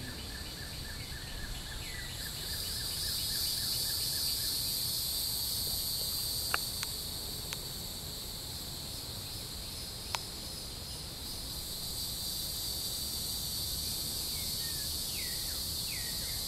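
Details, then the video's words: Neotibicen hieroglyphica cicada at Shoal Creek, Joplin, Missouri, 16 June 2012: a steady high buzz swells loudest mid-recording, then eases. Brief chirping bird notes at start and end, a few sharp clicks. "N. hieroglyphica cicada sounds"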